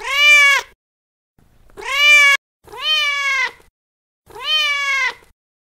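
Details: Four long, loud, drawn-out meows from a feral mother cat calling her kittens, each steady in pitch and evenly separated by short silences.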